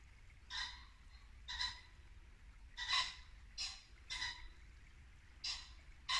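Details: Barking muntjac deer in late-winter Norfolk woodland at dusk: seven short, sharp barks at irregular gaps of roughly half a second to over a second, with a babbling brook murmuring low beneath.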